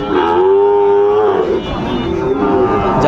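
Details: Sahiwal bull calf at a Kurigram cattle market, Bangladesh, 7 April 2025: a clear, level, drawn-out moo lasting about a second, then a shorter second low, with crowd murmur behind.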